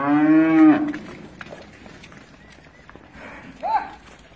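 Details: Friesian cow on a dairy farm in Pakistan while the herd runs and jumps: a loud, steady, low moo lasting under a second, followed by quieter farm noise and a brief higher cry near the end.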